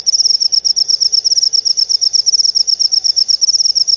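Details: Shrill cricket chirps, used against rats and as a lure for lovebirds, come in quick evenly spaced pulses about six per second over a soft background hum.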